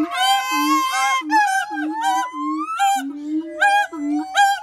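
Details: Siamang calling: long wavering whoops sliding upward in pitch over a steady run of low booming pulses, continuous and loud throughout.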